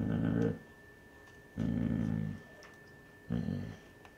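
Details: A Basset Hound mother gives three deep, rough, rumbling growls, each under a second and separated by short pauses, warning a curious older male Basset, the pups' grandfather, away from her pups.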